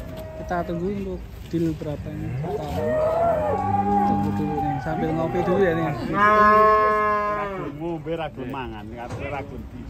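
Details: Market cattle beside a one-ton jumbo cow that had foot-and-mouth disease: a run of rich harmonic moos, the loudest and longest late in the stretch, with chatter and background hubbub.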